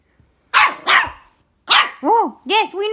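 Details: A female Jack Russell x Maltese puppy, flipping out and not normally like this, gives sharp, harsh barks, then high arching yelps in quick succession.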